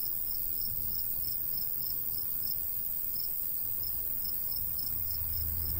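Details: Crickets chirp in a summer wheat-field countryside, high pulses repeating several times a second against a continuous insect hiss and low breezy rumble.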